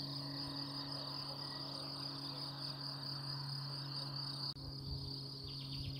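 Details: A steady, high-pitched chorus of cicadas shimmers without pause over a low hum, heard outdoors near a lake at Madine around 11 a.m. on 1 May, ponies and horses nearby.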